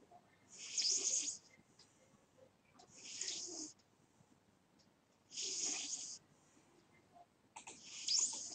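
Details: Snoring from a sleeping domestic cat, a steady rhythm of airy, rasping breaths about every two seconds, four in a row, the room otherwise quiet.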